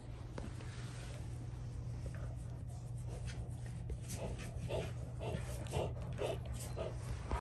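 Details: Rottweilers at home, older dogs including Fluffy putting young Junior in his place during a squabble over a toy; short breathy huffs repeat about twice a second through the second half over a steady low indoor hum.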